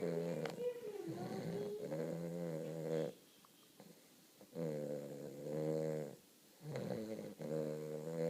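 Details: Napping Weimaraner puppy named Cody snoring deeply. Long droning, rattly breaths last a second or more each, with short quiet gaps between them, in a quiet indoor setting.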